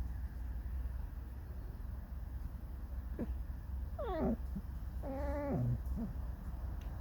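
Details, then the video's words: Tame fox making squeaky, mournful whines: a short sliding squeak, then a wavering downward whine with bright harmonics, a brief chirp after; constant low background hum. "Скрипит, поет заунывную песню."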